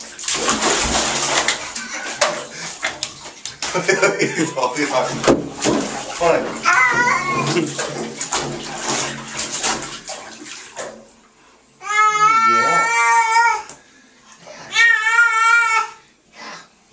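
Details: Churchill the cat, bathed indoors to clear sticky tar and oil from his coat, gives two long, quavering, baby-like wails near the end. They come after running water, splashing and human talk.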